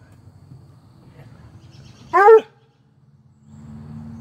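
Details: A female Treeing Walker Coonhound puppy gives one sharp, high bark that drops quickly in pitch, barking because a Whippet stole her toy, on May 28, 2022.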